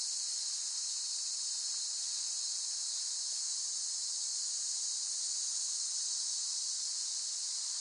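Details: Chorus of cicadas giving an unbroken, shrill, hissing buzz at a steady loudness throughout, with no other clear sounds.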